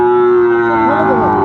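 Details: Sahiwal bull calf at the Ambari haat cattle market on 17 January: one steady, sustained low moo with a rich harmonic tone, holding level for over a second before fading, with market murmur behind.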